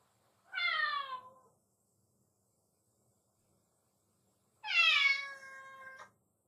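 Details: Black-and-white hachiware cat named Nattsubon, left home alone daily, greeting its owner on returning home: two drawn-out meows about four seconds apart, the first falling in pitch, the second louder and longer with a rich harmonic stack, quiet room between.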